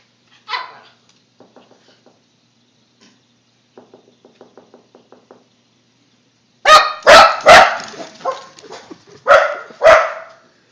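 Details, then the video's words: Puppy "talking": a whiny yelp at the start, a run of soft, quiet rhythmic yips in the middle, then a burst of loud, harsh barks and howling yowls at the end. "Talking Puppy"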